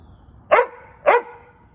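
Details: Giant Schnauzer, a big black dog, barking while trying to get at geckos: two short, sharp, loud barks about half a second apart, then quiet.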